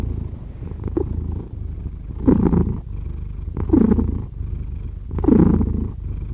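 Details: Domestic cat purring steadily, a low continuous rumble with three louder breathing swells about every one and a half seconds, indoors and close up.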